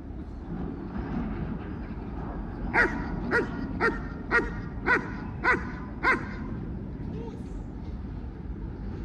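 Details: Barking German Shepherd at an obedience training session, giving a run of seven evenly spaced, clipped barks about half a second apart, set against steady low murmur and traffic-like hum.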